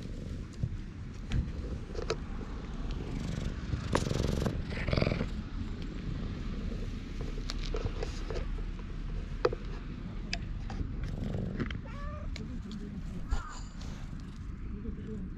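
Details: Stroked park stray cat purring contentedly on a GoPro HERO8: continuous low, rough purr beneath bursts of rustling and scraping handling noise, with a brief faint voice.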